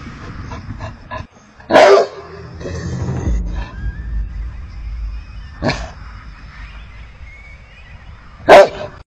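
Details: Livestock guardian dog barking to warn off predators: a few loud, sharp barks spread across the clip, separated by quieter stretches with faint background sound.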